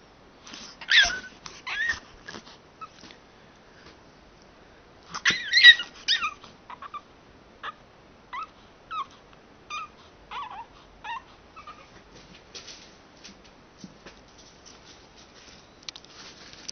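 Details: Kuzya the pug, serving as an alarm clock indoors, whining insistently: high, wavering whimpers and squeaky yips come in uneven bursts, loudest near the start and around five seconds, then softer repeated whines trailing off.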